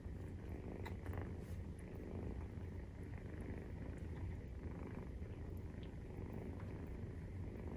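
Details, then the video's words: A 43-day-old Maine Coon kitten purrs as it nurses. The deep, continuous vibrating rumble holds an even level throughout, with a few light clicks and rustles. "授乳時のゴロゴロ 生後43日目【メインクーン動画】"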